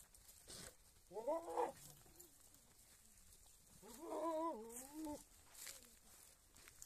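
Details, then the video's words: Big male goat kept on a Rajasthani goat farm for crossing and mating; two wavering, harmonic bleats about three seconds apart, each near half a second long, with quiet background hiss. "Big Male Goat"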